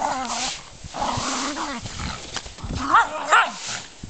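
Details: Mittelspitz German Spitz dogs playing, making wavering whining growls and rising yelps, with a person's voice briefly heard.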